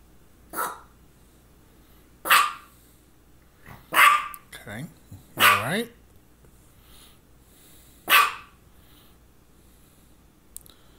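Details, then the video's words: Misha, a female pet dog who had focal seizures just before and shortly after, barks sharply five or six times at irregular intervals, with a drawn-out wavering vocal note midway and a quiet room behind. "Barking and two focal seizures"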